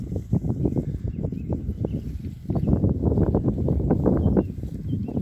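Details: Berkshire pigs in their new paddock, a rapid run of short, low grunts and snuffling bursts, dense and uneven throughout, with a brief lull near the middle before the noises pick up again.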